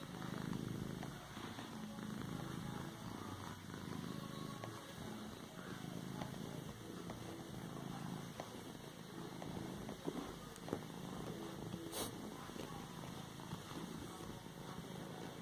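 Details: Cat massaging a cushion with its paws, purring steadily throughout: a deep, even vibrating drone in slow breathing rhythm, plus light scratchy rustles and a brief click.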